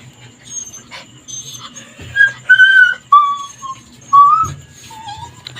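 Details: Leashed Labrador Retriever crying to be let loose so it can play, appearing angry. Thin, whistle-like whines are held briefly, each a little lower than the last, with quiet hiss and a faint background tone.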